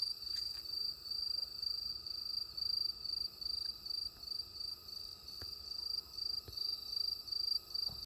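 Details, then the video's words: Cricket song on a night in the countryside, the high trill broken into regular short bursts about twice each second, with a few faint ticks in the background. "시골의 밤! 귀뚜라미 소리"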